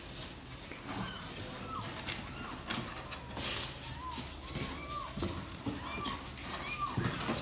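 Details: Kittens of the cats Sor and Kapov, apparently eager to come out and play, give many short arched mews, each rising then falling, repeated every half second or so over a steady background hiss and some low rumbling.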